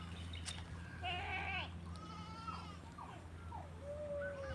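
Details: Farm goats being fed organic malunggay (moringa) feed; a wavering, harmonic bleat rises about one second in, followed by fainter short calls, all over a steady low mechanical hum.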